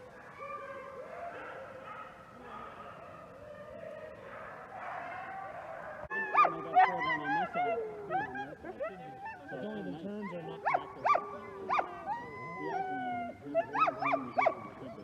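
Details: Alaskan Malamute sled dogs, including Sojou and Fish, in Larose Forest, Ontario, Canada, on a freezing winter day at -30 °C, before a run. A low murmur opens, then overlapping high yelps and howling whines rise and fall in rapid bursts.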